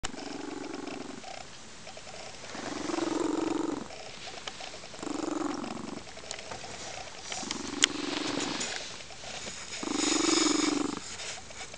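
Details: Crystal, a female lynx-point Siamese foster cat, purring contentedly on a sunny windowsill on a weekend afternoon; loud rumbling purr bursts of about a second each, alternating with quieter breaths, about four times across the stretch.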